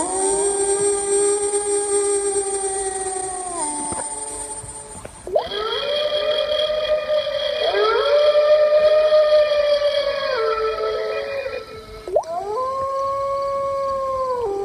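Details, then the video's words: Wolf howling: long, steady, mid-pitched tones that swell in and hold, with several overlapping voices. A new howl glides sharply upward near the end before levelling off, over a constant high-pitched whine. "wolf howls"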